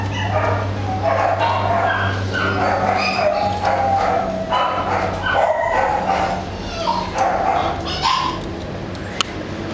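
An Italian Greyhound gives a busy run of high yips, short barks and whining whimpers over a low hum.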